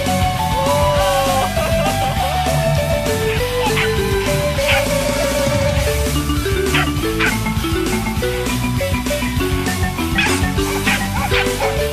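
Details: Loud rock music with plucked guitar notes and a steady driving beat plays throughout, with no animal sounds heard.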